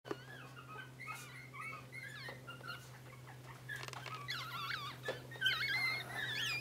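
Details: Three sibling Yorkshire terriers give high, reedy whimpers that waver up and down, first as separate squeaks, then overlapping into a busier squealing chorus over a steady low electrical hum.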